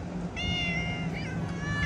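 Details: Domestic cat outside giving one long, drawn-out meow that bends downward near its end, over a steady low hum.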